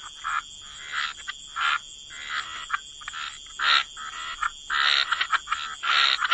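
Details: Frogs croaking near water, separated bursts of harsh, rattling calls about once a second with quiet gaps between, a faint high steady tone behind them.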